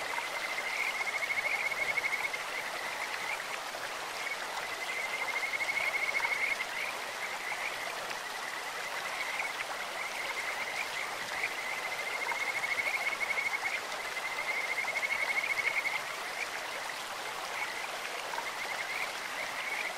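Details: Kajika frog calling from a clear stream: a high whistled trill repeated in bouts of a few seconds, about every five seconds, each rising in loudness and then fading, over continuous babbling water.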